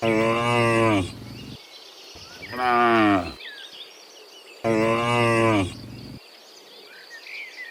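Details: Dozens of cows in the morning, returning from the field to the pen: three loud, drawn-out harmonic moos of about a second each, spaced a few seconds apart, with birds chirping and rural background noise.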